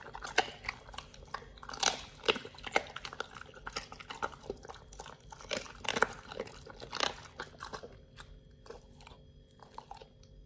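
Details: Nomyen, a Pit Bull, eats a raw meal of beef shank, green tripe, chicken feet and quail egg. Loud wet crunching bites come in irregular bursts, strongest early, then thinning to softer gnawing after eight seconds.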